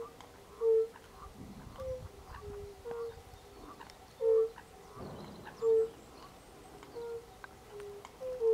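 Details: European fire-bellied toads recorded in late March 2024, giving short, soft, low tonal 'unk' notes at slightly different pitches from several callers, roughly one every second, with faint bird chirps above and a brief rustle midway.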